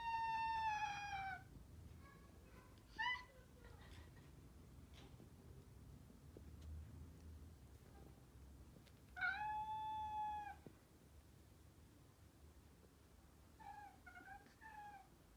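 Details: One cat urging another to play fight at home, the other still unsure; high soprano meows in spaced bursts, a long falling meow, short chirpy double calls, then quieter meows near the end.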